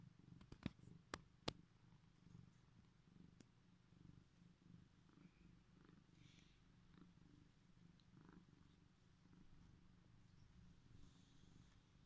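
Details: Domestic cat, sleepy and just woken, purrs indoors with a continuous low, pulsing rumble; a few sharp clicks or taps sound near the start.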